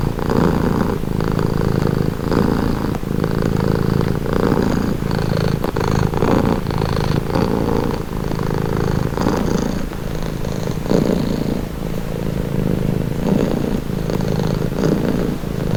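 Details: Relaxing purr of a pet cat, recorded up close: a continuous low throaty vibration rising and falling in even breath cycles near one per second, slightly softer toward the end.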